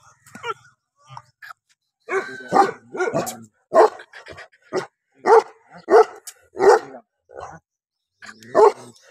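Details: Bully Kutta hunting dog in Punjab, Pakistan, barking hard and fast: short, forceful, clipped barks in quick succession with brief gaps, clean and close with little background noise.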